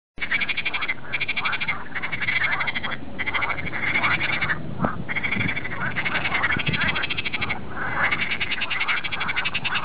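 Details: Noisy frogs in a polder near Amsterdam on a sunny morning: a dense, unbroken chorus of overlapping rattling croaks, rapid pulsed trills swelling and dipping in loudness, with many callers at once.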